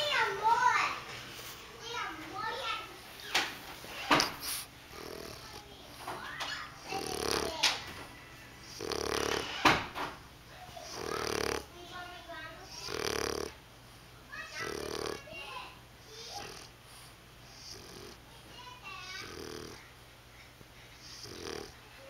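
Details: Bandit the bulldog snoring in his sleep: rough, breathy snores repeating about every two seconds through the middle of the recording, with a child talking over the opening seconds in a small indoor room.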